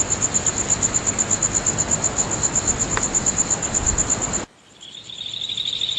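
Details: Insects calling on a full-moon night at Nagahama, Naze, Amami Ōshima, Japan, late on 13 August 2011: a very high, rapid, regular pulsing chirp about three per second over a hissing background, which cuts off abruptly, leaving a fainter high trill.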